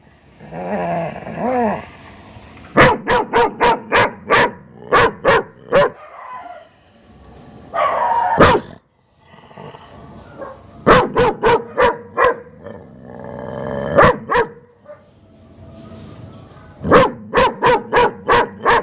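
A German Shepherd barks in quick, sharp bursts, with drawn-out whining and yelping between the runs.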